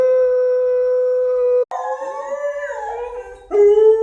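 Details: A Thai Bangkaew and a Rottweiler (Canis familiaris) howl along, imitating their owner's voice, in long, steady, wavering tones, one voice sliding between pitches.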